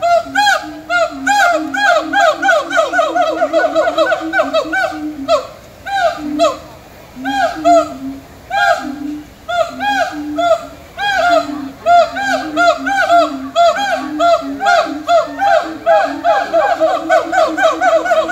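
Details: Siamang gibbons at a zoo in Florida, 20 May 2018, call in a loud, ringing series of repeated whoops and barks that rise and fall.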